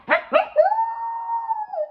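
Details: Full-grown Pomsky dog, a pet indoors, vocalising while biting: two quick rough yelps lead into a sustained, steady howl-like whine that holds its pitch for over a second before dipping down at the end.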